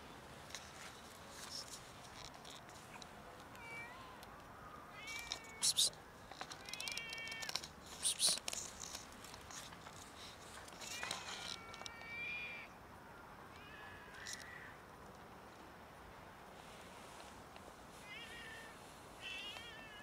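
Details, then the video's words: Hungry cats begging for food, meowing loudly until they are fed: many overlapping harmonic meows, some rising then falling, repeated throughout with bursts of clattering and rustling between calls. "Cats meow loudly until I fed them"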